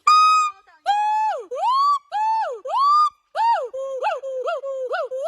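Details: An agile gibbon (Hylobates agilis) gives loud, pure hooting notes that swoop upward, then quicken into wavering up-and-down calls.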